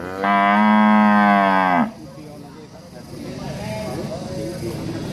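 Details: Angry cattle in a countryside village, one strong steady moo lasting about 1.6 seconds that ends abruptly, followed by faint background sounds and distant chatter.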